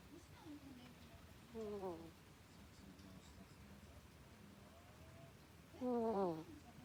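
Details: Pet ferret sleeping and snoring like a human: two loud nasal, wavering snores around two and six seconds, each with stacked tones sliding downward, and faint soft breaths between them in a quiet room.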